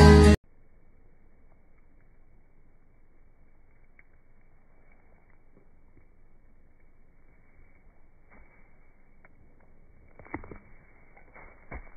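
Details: A brief loud burst of music opens, then near silence with only faint scattered tapping and rustling toward the end, and no animal call.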